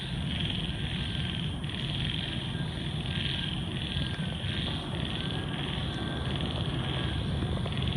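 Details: Frog chorus at night after rain: a continuous, high, pulsing trill that swells and fades in waves every second or so, over a steady low rumble.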